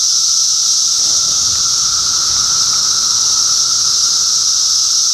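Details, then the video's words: Cicadas massed in Middlesex County, New Jersey, in June 2013, producing a dense, unbroken high-pitched hiss that holds steady throughout, with a fainter lower steady hum beneath it. "Cicada Symphony"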